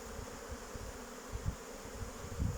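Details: Orientation flight of young honey bees in front of their hive on a mild 8 May 2023 after a cold day. A low humming drone with two louder rumbling surges near the end.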